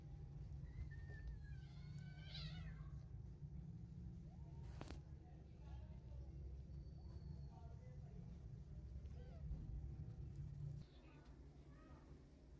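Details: Hungry one-day-old newborn kittens crawling and searching for milk utter a cluster of high, quavering mews early on, then fainter squeaks, over a constant low rumble with a sharp click near the middle.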